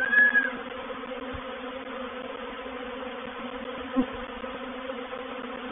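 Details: Reproductive swarm of honey bees moving into a bait hive at Painted Peacock Manor, 04/07/21: a steady layered hum with bands near 250 and 500, continuous and even, with a brief higher tone at the start and a soft click near four seconds.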